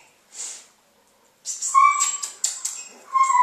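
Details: A female Basenji named Zuni during 'leave it' food refusal training. A breathy puff and some clicking sounds come before wavering, level whines that break off and return in short bursts.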